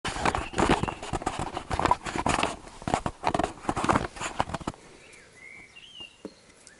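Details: Labrador Retriever puppies from an A litter scuffle, squabble and play together. Dense, irregular clattering thumps and rustles run for nearly five seconds, then the noise drops away, leaving a few faint, thin high squeaks.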